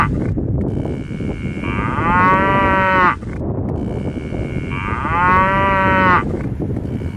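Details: Two similar cow moos about three seconds apart, each a short harmonic swell over steady low rumbling background noise.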